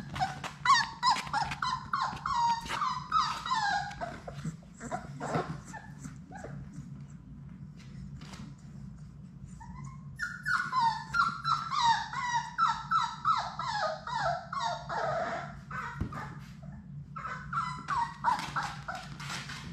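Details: Six young Labrador Retriever puppies at play indoors in their play room, producing rapid runs of squeaky, falling whimpers and yelps, two lively bursts separated by a quieter stretch of soft scuffles and thumps.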